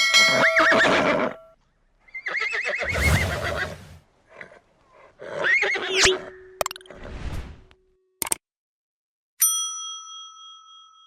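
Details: Horse neighing in several separate bursts: a shaky, wavering whinny with quavering high overtones, short snorts and breathy sounds between, then a clear ringing bell-like tone near the end.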